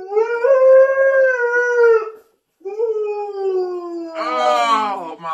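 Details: Siberian Husky howling the whole time indoors: two sustained tonal howls separated by a short pause, the second sliding slowly downward and ending in a brief, higher, rougher yowl.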